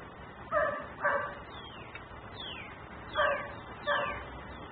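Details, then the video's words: Nuisance dog barking while left outside, recorded on a camera in Mecklenburg: a pair of sharp barks, a pause filled with thin downward-sliding chirps, then two more barks. "Barking dog no one hears.......but me"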